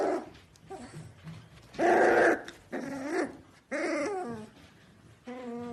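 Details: Corgi growling in low rumbling bursts, then a loud grumbling outburst and a wavering whimper, ending on a clear, steady high whine.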